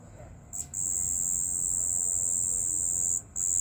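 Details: A cricket calling at night begins with a short burst, then settles into a sustained, thin, high-pitched trill, broken by one brief pause before starting again.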